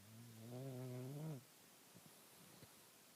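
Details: Bulldog asleep under the shirts in a closet, giving one drawn-out, droning snore of about a second and a half on a low steady pitch, then near silence with a few faint soft ticks.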